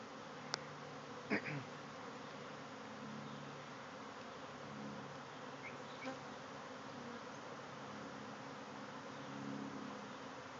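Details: Honey bee swarm pouring out of a backyard hive, thousands of bees flying all around; a dense, steady droning hum fills the whole recording, with a few brief clicks and taps near the start.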